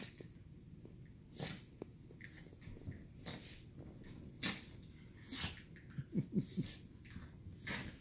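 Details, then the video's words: Two 2-year-old Miniature Schnauzers playing together indoors in the evening, biting at legs; scattered snorts and huffs, then a quick run of short throaty growls near the end, with a person talking quietly. "2 year old Mini Schnauzers playing around"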